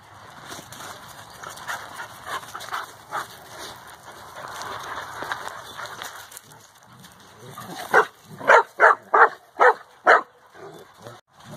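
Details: Adult Central Asian Shepherd, or alabay, playing with four-month-old puppies. Muffled growly play noises are followed by a run of about six loud, evenly spaced barks near the end.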